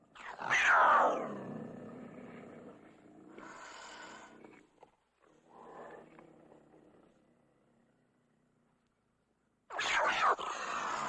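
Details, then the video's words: Cougar letting out a loud, harsh snarling roar that falls in pitch, then softer rasping growls fading into near silence, before a sudden loud snarl breaks out at the close. "Cougar Snarling Roaring"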